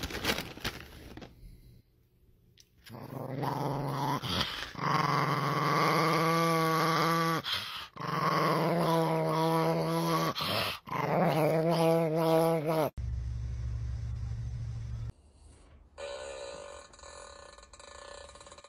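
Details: A dog indoors gives long, drawn-out growling vocalizations in several bursts of a few seconds each, with a wavering, grumbling tone and short breaks between them, followed by quieter background sound.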